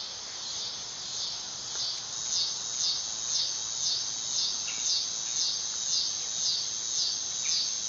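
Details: Dog-day cicada song: a high, shrill buzzing whine pulsing in regular waves about twice per second, each surge rising and easing, with faint soft chirps from other insects or birds in the background.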